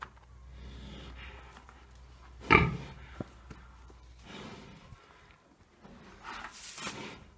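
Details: Three-year-old domestic pig at Bálványos on 16 July 2018, fed green waste and kitchen scraps and picking mostly fresh greens such as beet tops. It gives short, rough, low grunts near the middle and end, amid rustling and chewing noises.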